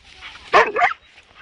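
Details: Pet dog giving one short, sharp double bark over a low background hum.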